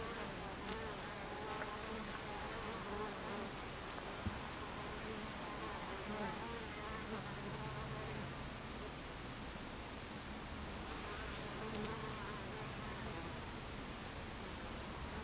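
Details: Honey bees at a hive entrance on 26 July 2013 at 14:30, many insects buzzing together in a dense, steady drone with faint flickers of individual wingbeats passing by; no other clear sounds.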